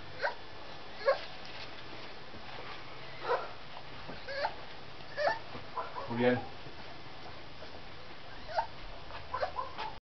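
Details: A 26-day-old Bull Terrier puppy gives short, high squeaks and thin whimpers at irregular intervals.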